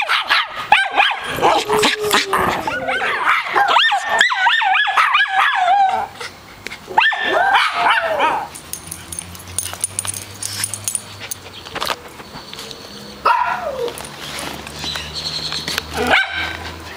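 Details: In Austin, a chihuahua and a miniature schnauzer play outside around the pool while a poodle mix barks along. Dense, rapid yapping fills the first eight seconds, then isolated barks sound over steady background hum and outdoor noise.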